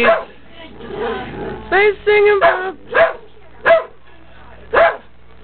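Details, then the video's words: Two pet Dalmatians howling along to a cheerful TV soap opera theme song, one starting and the second joining as backing vocals: a string of tonal, rising yowls and short wavering howls, with faint music and a person's voice behind. "Dalmatians singing to "Passions""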